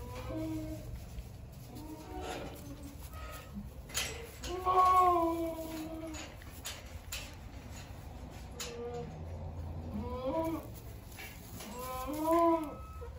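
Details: Nubian goat kids just days old, playful on a small farm, giving repeated wavering bleats with clear harmonics, spaced every one to two seconds, over low room noise.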